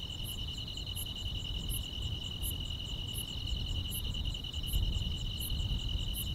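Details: Summer-night chorus of grass insects, a continuous shrill trill holding one pitch, punctuated by thin high clicks repeating roughly every 0.7 seconds, with a heavier low background rumble that swells toward the end.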